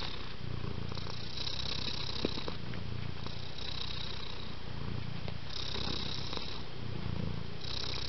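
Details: Close, steady purr from a house cat: deep buzzing rumble rising and falling in roughly two-second cycles, breathy upper hiss marking alternate phases.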